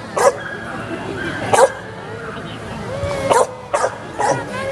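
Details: Samoyed at a giant-dog show in a Chiang Rai shopping mall, Thailand, 22 June 2018; a few loud, spaced barks over steady crowd talk and hall echo.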